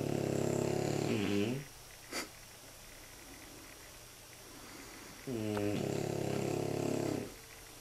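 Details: Two French Bulldog puppies, nine months and nine weeks old, snoring comfortably while asleep in their basket indoors; two long, deep, rumbling snores with a buzzy harmonic quality, separated by a quiet pause of about three seconds containing a brief click.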